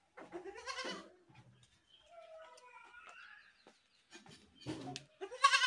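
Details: Goat screaming: a quavering, harmonic bleat opens the recording, then softer tonal murmurs and scattered noises, and a loud, harsh, wavering scream starts near five seconds and runs to the end.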